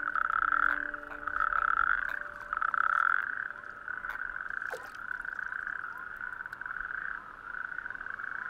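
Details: Natterjack toads (Epidalea calamita) chorus on warm May evenings from bare-rock islets of an outer coastal archipelago, giving loud, rolling, rattling trills; males inflate vocal sacs and sing at night to attract females.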